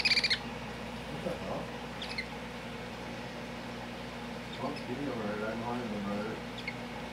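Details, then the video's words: Baby hedgehog that has just opened its eyes, taken out for pictures with its little brother beside it: a quick cluster of shrill, high squeaks at the start, then quiet hiss with faint human voice. "Baby Hedgehog Squeaks"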